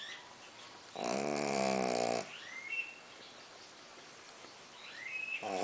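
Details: Colt the pug snoring loudly: a single rasping, harmonic snore lasting just over a second, then quiet breathing, with a couple of rising bird chirps behind and another snore starting at the end.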